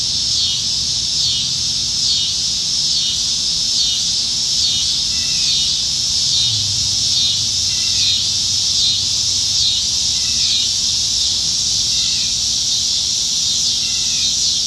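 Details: A steady, high, buzzing cicada chorus pulses gently and continuously in the trees on a summer evening in Nebraska, July 2019, with faint chirps beneath; cicadas are plentiful this year.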